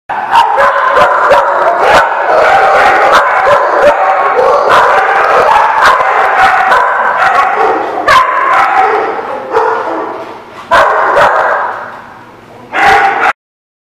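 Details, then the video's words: Dogs at a barking lot, recorded on 16 January 2017, bark almost without pause: loud, overlapping, hoarse barks come several per second from more than one animal, briefly easing near the end before a final loud burst. "The Barking Lot"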